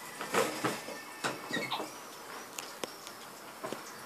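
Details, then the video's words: Masyanya, a pet capuchin monkey, calls after being punished for mischief and shut in a cage. Short squeaky chirps and brief tonal squeals come in scattered bursts, mixed with sharp clicks and rattling knocks, in a small indoor space. "Обезьяна капуцин Масяня. Свободу мне!"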